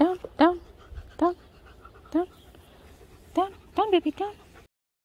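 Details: Female Labrador Retriever puppy chasing her own tail: about seven short, high, clipped yips, some in quick pairs, spread over four seconds against a quiet room.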